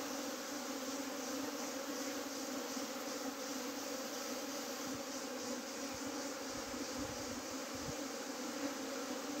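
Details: Bees of a swarm piled together after trying to escape produce a loud, unbroken humming drone. A rich layered tone is punctuated by occasional low knocks.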